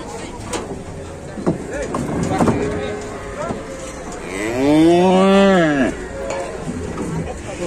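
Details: Cow bellowing as it gets stuck stepping down from a truck in Indonesia: a loud, rising then falling moo lasting over a second, with knocking, handling noise and men's voices before and after.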